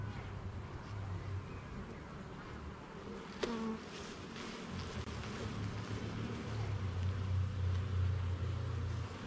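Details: Honey bees at a garden hive during an inspection of its levels and frames: a steady low droning hum fills the clip, with a sharp click near the middle and a rumbling low background that swells toward the end.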